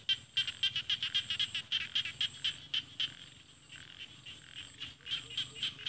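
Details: Rice field frogs call in rice paddies against mountains in Thailand's Isan region, giving high, scratchy clicking notes in a quick, steady series, about four per second.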